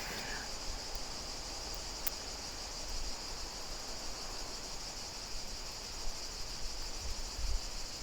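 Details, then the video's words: Many cicadas sing in the trees on French château grounds in summer, a steady, high, shimmering ch-ch-ch buzz that has gone on all day for the past week, with low rumbling wind noise beneath. "Can you hear the cicadas in the trees? They've all been chirping and singing. That's what that sound is, that ch-ch-ch-ch-ch-ch."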